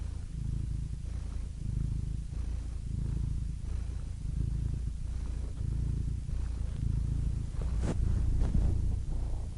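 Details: Cat purring in a continuous low buzz, rising and falling gently with breathing, interrupted near the end by a sharp click and brief rustling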